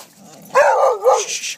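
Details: Dog at Prairie Wolf Dog Park, urged to go get its toy; one drawn-out, wavering yowl-like bark lasting about a second, dipping and rising in pitch, in quiet outdoor surroundings.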